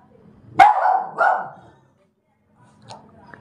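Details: German Spitz kept as a pet indoors, yelling toward the bathroom as if complaining; two sharp, high yapping barks about half a second apart, then quiet with faint room noise.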